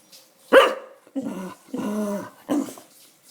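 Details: Pet dog crying and begging for food indoors, giving a sharp yelp followed by three drawn-out, growly, wavering whines with layered harmonics, each lasting around half a second, separated by short pauses.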